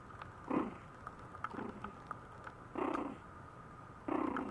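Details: Maltese puppy (Canis familiaris), attention-seeking whine: puppy wanting attention.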